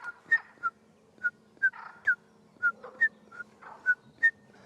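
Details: Common midwife toad, called tòtil in Catalan and likened to the scops owl of village streams, in Parc del Corredor i del Montnegre at Lurdes, Arenys de Munt, Catalonia. Short pure whistled notes at two alternating pitches, about ten in under five seconds.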